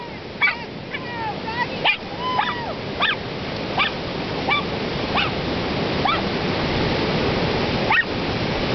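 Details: A big dog and a little dog playing in the surf at the beach in Ocean Park, WA; short yelping barks and yips come in uneven bursts over a steady roar of breaking waves.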